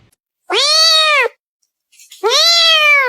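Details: Domestic cat giving two loud, clear meows about a second apart, each a drawn-out, arched note that rises and then falls, with no other sounds in between.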